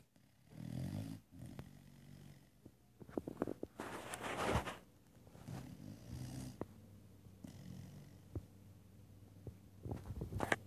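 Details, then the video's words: Pet dog Gertie asleep and snoring, low buzzy breaths recurring every two to three seconds with a brief rustling burst midway and soft ticks in a quiet room. "My dog snores."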